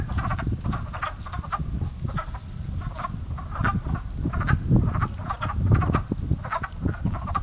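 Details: Early-spring pond frogs, a chorus once taken for crows: rapid, raspy, quacking croaks from several callers pile over one another without pause, over a constant deep background rumble.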